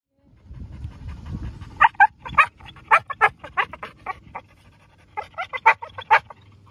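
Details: A Chow Chow dog left alone in a dog park after a fun day, unsettled, giving a series of short high whines and yelps in two bursts, with low rumbling background noise.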